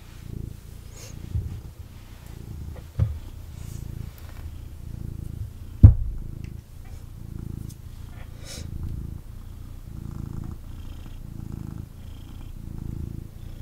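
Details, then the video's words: Picked up for cuddles, a male kitten purrs intensely indoors: a low rumbling purr rising and falling in roughly one-second breathing cycles, broken by a few sharp knocks and faint handling noise. "Kitten Purrs and Snuggles"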